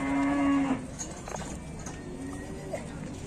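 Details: A cow that is still lying down and cannot rise after its companions left for market gives a short, flat, low moo lasting under a second, then only rustling, muffled clatter and background noise.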